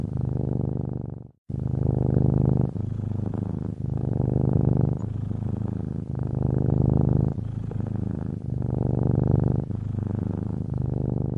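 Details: Sleeping cat in a Ukrainian home, purring contentedly beside the hearth; after a brief silence at the start, a continuous low vibrating drone runs in regular rising and falling breath phases.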